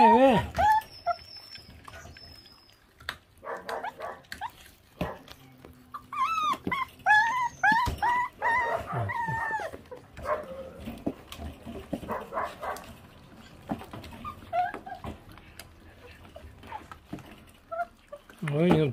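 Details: Abandoned feral dog pup at feeding time, bursts of thin, wavering whines and yelps mixed with a man talking and handling noises, plus a brief steady whistle-like tone near the start.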